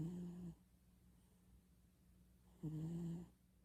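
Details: Domestic cat snoring while asleep in winter: two low, droning rumbles, each about half a second long and roughly two and a half seconds apart, with near silence in between, indoors.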